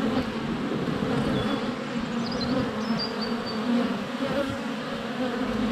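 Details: Honey bees swirling at the hive entrance during a February sunny spell, GoPro Hero 7 Black under a foot away; steady buzzing drone overlaid by thin, high birdsong notes in the middle.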